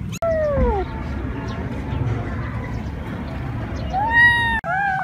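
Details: Cat giving long meows, a falling drawn-out cry at the start and a rising-then-falling meow near the end, over steady low background noise with abrupt cuts.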